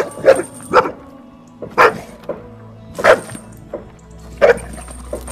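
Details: A fearful female Cane Corso that tends to run off, whose barking drew neighbours' complaints, barks during behaviour testing: five or six loud, abrupt barks roughly a second apart, with music playing underneath.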